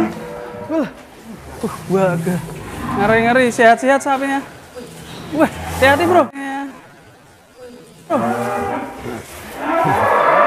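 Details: Deep lowing from Real Douglass, the Angus cattle called the largest in Indonesia, in short wavering bursts with quavering pitch and a pause before a final moo; other voices may be mixed in.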